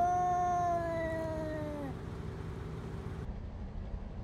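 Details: Two wild cats fighting, met on a hike: a single drawn-out wailing yowl lasting about two seconds. It is rich in overtones and sinks slightly in pitch as it fades, followed by quiet background hiss.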